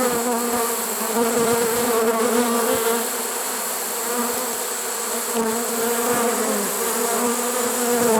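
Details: Swarm of honey bees taken in a trap unusually late in the season, September 2019, giving a thick continuous drone with gently pulsing loudness and layered low tones.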